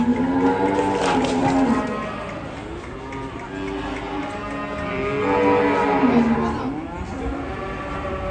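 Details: Agitated, rampaging cattle giving long, deep moos with bending, falling pitch, one near the start and another after five seconds. Music plays underneath and people talk nearby.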